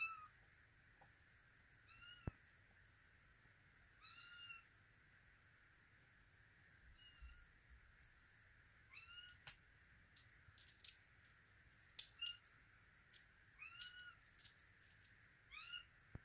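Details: Russian Blue kittens in Vancouver, including Zoya, a female born September 6, 2023: high, thin, arching mews, about six spread across the clip, some close together near the end, with sharp clicks and taps in a quiet indoor space.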